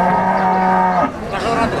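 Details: A single Peranakan Ongole cow at the Wagenan livestock market in Pati gives one steady, low moo lasting about a second, then stops, leaving busy market background noise.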